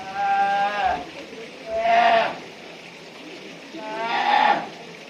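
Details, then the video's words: Brown bear cub at Noboribetsu Bear Park in Japan crying in three drawn-out nasal bleats, each wavering and about a second long, spaced roughly two seconds apart, with faint background noise. "ヒグマ 子熊の鳴き声"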